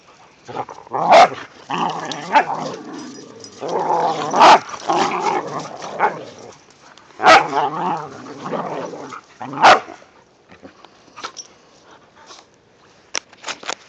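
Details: Whippets and a rat terrier romping in early-season light snow, trading rough play growls and repeated sharp barks for ten seconds, then fading to scattered faint clicks and thumps.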